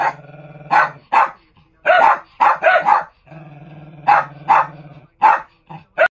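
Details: Lakeland Terriers in a mobile kennel in a barking match. Loud barks mix with rough growling, coming in clusters separated by short gaps, over a constant low mechanical hum.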